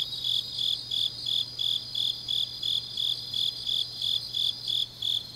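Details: Grass insects singing on a deep autumn night in Changnyeong, South Gyeongsang, Korea; high chirps pulse about three times a second in a steady chorus, with a second fainter insect layer just above and a low steady hum beneath.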